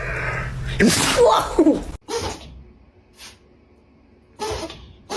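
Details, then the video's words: Pet dog sneezing indoors, a loud explosive broadband burst about one second long, then quieter snorting puffs and short human voices in the room. "Funny dogs sneezing"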